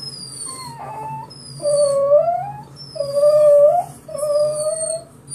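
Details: Pet dog howling like a small wolf while hearing a recording of his own crying: drawn-out, wavering tonal howls rising and falling, several in a row, with higher thin whistled tones from the playback.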